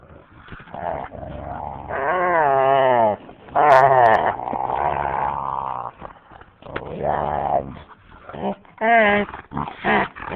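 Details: Two dogs, a husky and a boxer, playing and making funny noises; drawn-out wavering howly growls rising and falling in pitch, broken by short vocal bursts, with a person's voice at times.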